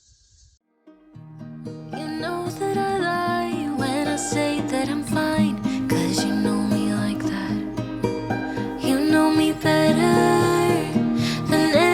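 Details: Gentle melodic music begins after a brief quiet start and builds steadily, with no animal sounds present.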